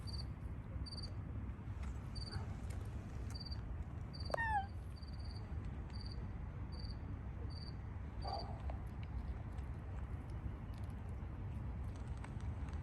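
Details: Shy, squeaky stray street cat waiting for its feeder to move away before it eats: one short high meow sliding downward, with a fainter sound later, over steady low traffic rumble and regularly pulsing high insect chirps.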